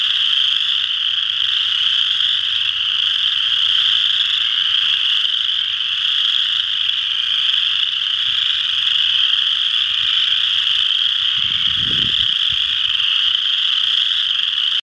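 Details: Western chorus frogs in full chorus at Ojibway Park, Windsor, Ontario, their shrill overlapping trills steady throughout, with a brief low knocking sound about two thirds of the way through.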